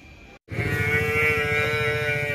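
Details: Water buffalo, one of 43 rescued in Fulbari before being smuggled, gives a long, steady, nasal lowing call held for about two seconds after a brief gap of silence, over a low background hum.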